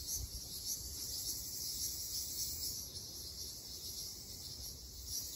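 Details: Summer forest chorus in Okinawa of the Ryukyu large brown cicada, a bright, shrill, unbroken hiss that wavers gently in loudness, with a soft low rumble underneath.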